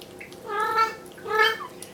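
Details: Bengal mother cat Bella meowing indoors, demanding her kittens go back to the carpeted bedroom; two strong, rich harmonic meows, each swelling and fading, about three-quarters of a second apart.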